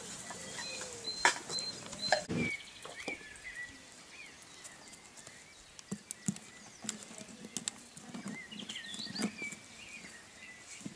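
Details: A swarm of Golden Retriever puppies giving thin, high whines and squeaks that rise and fall, several overlapping at different pitches, over soft scratching and patter.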